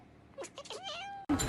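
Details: Pet cat giving a brief meow with short chirpy onsets leading into a drawn-out tonal note, cut off by a sudden loud noise burst.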